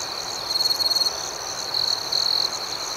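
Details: Crickets at night chirping steadily, with a high ringing trill and pulsed beats in two short bursts of louder, buzzy trilling over a constant insect hum.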